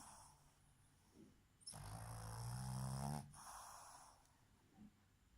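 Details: A sleeping Boston terrier bitch snores with open eyes. One loud, drawn-out snore of about one and a half seconds, deep and vibrating, between quieter soft breathing.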